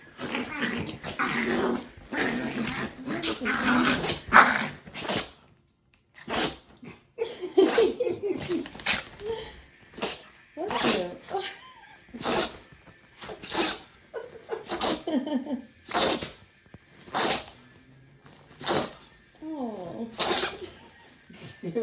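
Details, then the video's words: Dogs play fighting break into a sneeze fest: sharp, short, explosive sneezes follow one another about every second, mixed with low growls and snorting, with a person's voice heard now and then. "Dogs fighting devolves into sneeze fest"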